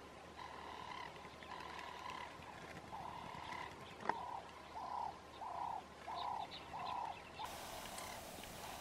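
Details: Spotted hyena at Cubitje Quap in the Kgalagadi, Kalahari: faint, steady tonal calls, then a run of short arched, rising-and-falling notes repeated roughly every half second, over a quiet background hiss.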